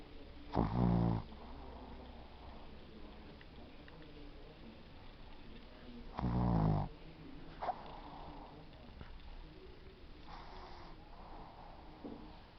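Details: Pet Shih Tzu named Yudi snoring in sleep, two loud, deep, rattling snores about six seconds apart, each a drawn-out throaty buzz, with quieter wheezy breaths in between and a calm indoor background.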